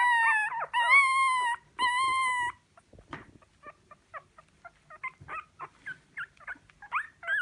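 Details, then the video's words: Three long, high, steady whines from a dog open the recording, followed by a run of short, quiet yips and whimpers at irregular intervals. "Ит дауысы | Dogs Barking Sound Effect | Лай собак"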